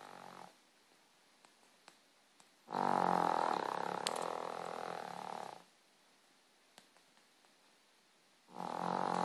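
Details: Pet dog snoring in its sleep, one loud rattling, buzzy breath lasting about three seconds between quiet gaps, with the start of another snore at the end and faint clicks in the pauses.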